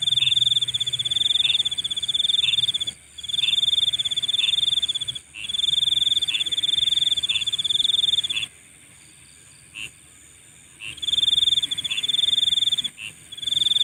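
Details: Nighttime insects sing repeated bursts of rapid high pulsed trilling, each a second or two long, with a steady shrill hum beneath and a longer quiet spell holding only isolated chirps.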